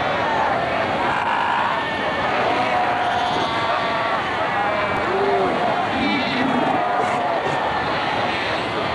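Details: Cape fur seal colony at Cape Cross Seal Reserve on Namibia's Skeleton Coast, 1992, seals fighting, sunbathing and rearing pups; a dense din of overlapping bleating, wavering calls with a steady roar beneath.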